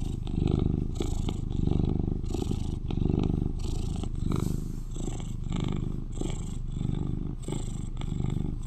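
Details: Cuddly eleven-year-old male British Shorthair, the loudest purring cat in his household, purring in breath-paced waves: deep rumbling swells that fade and return about every second, with faint rustles between.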